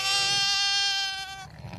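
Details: Zwartbles ram lamb, a bottle-fed baby on a farm in County Kilkenny, Ireland, bleating at the farmer for its bottle; one bright, steady, high bleat of about one and a half seconds that tails off, with faint rustling after.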